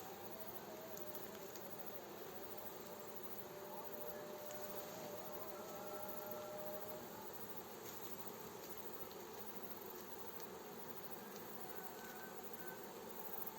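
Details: Honey bee swarm being gently guided by a beekeeper into its hive: a steady, dense, low humming buzz fills the whole stretch, with a faint, drawn-out voice from a distant village mosque's call to prayer rising briefly near the middle.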